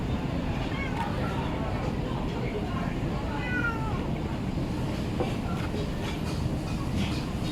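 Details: Hungry stray cat being fed in a village in Bangkok, Thailand, gives a short, faint rising-falling meow near the middle, nearly buried under a loud, constant low rumble like traffic, with a few softer mews around it.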